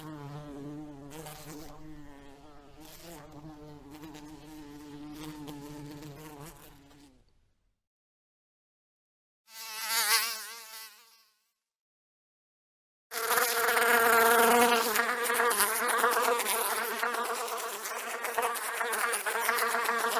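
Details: House fly buzzing in several bursts: a steady low droning hum with rich overtones for about seven seconds, a short louder pass, a pause, then a harsh close, loud buzz filling the last seven seconds.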